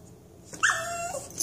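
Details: Toy Manchester Terrier after a back scratch, a single clear drawn-out whine lasting under a second, bright and slightly falling at the end, in a quiet indoor room.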